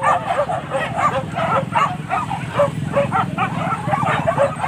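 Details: Pack of hunting dogs on a wild boar hunt (buru babi) at Kayu Ampek, Tanjung Emas district, Tanah Datar regency; many dogs bark at once in a dense, overlapping chorus of short yelping barks, with a steady low rumble beneath.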